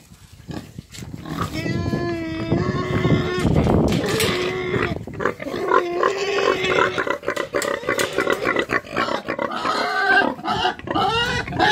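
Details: Eight-month-old Romanian-breed piglets give drawn-out tonal squeals and shorter repeated squeaks, with a person talking among the animal sounds.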